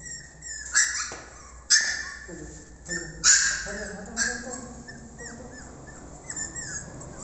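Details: Beagle puppies in Delhi, India; a man speaks over several sharp high squeals at the start, followed by a string of soft, wavering, descending puppy whines and whimpers.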